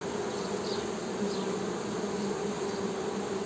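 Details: Western honey bee humming: a steady buzzy drone with bands near 200 and 400, continuous throughout with faint high chirps above.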